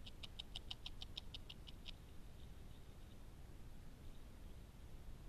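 A beaver gnaws in a quick burst of crisp, evenly spaced bites that stops after two seconds.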